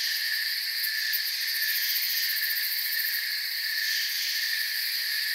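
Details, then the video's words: Forest crickets form a constant high-pitched wall of chirping, steady in loudness throughout, with a fine fast pulse audible in the highest layer. "Forest Sounds and Crickets"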